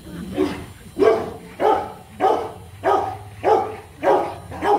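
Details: Rottweilers in Hanoi, Vietnam, during a mating session between the male Marvin Gervi and the female Kacyno Gervi. Loud, steady barks repeat about every 0.6 seconds, each a short burst with a low hum beneath.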